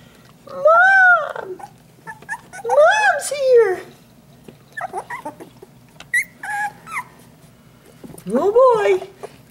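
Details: Puppies two and a half weeks old in their box, screaming as their mother arrives to feed them; loud, rising-then-falling wailing cries with rich overtones, several overlapping squeaks between them, and a person talking.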